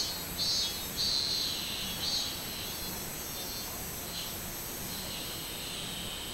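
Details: A robust cicada on 24 July 2016 gives three short buzzy pulses about a second apart, then fades into a faint steady background hiss.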